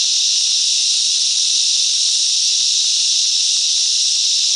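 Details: Chorus of cicadas in mangrove bushland at Coffs Harbour, New South Wales, Australia, many insects singing at once as a constant shrill, hiss-like drone with no pauses or changes in volume.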